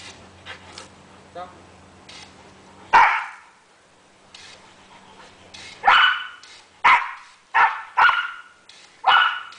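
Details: Sam the border collie plays with a hose at home in Kellyville, Australia, and barks. One loud bark comes early, then a run of five quick, punchy barks roughly a second apart. Faint voices and a low hum sit underneath.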